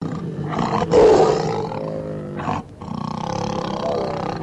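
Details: Captive tiger at Nandankanan Zoo, Bhubaneswar, Odisha, India, letting out a deep, rough roar lasting about half a second, followed by several lower moaning, growling sounds.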